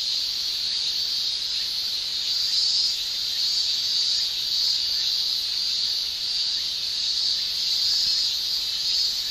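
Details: Summer cicadas in Japan, males singing by buckling their tymbals, form a continuous shrill buzzing wall of sound, high and even, swelling slightly now and then without any pause.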